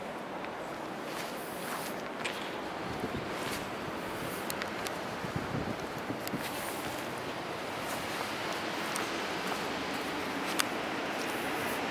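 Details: Outdoor ambience of footsteps, rustling leaves and wind, with a distant vehicle and faint voices; no clear animal call.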